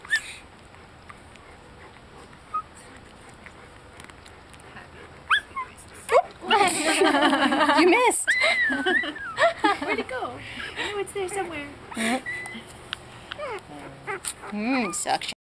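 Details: Tiny rescued pit bull puppy, found abandoned in a CVS parking lot, about 26 days old, dehydrated and malnourished, drinking from a bottle: quiet at first, then bursts of high, wavering whimpering squeals and yips, with people talking nearby.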